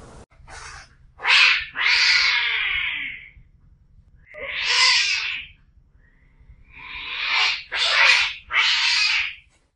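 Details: Domestic cats in a fight: loud, harsh, noisy screeches and yowls in bursts of one to two seconds, with short gaps of near silence between them, strongest around the middle and end.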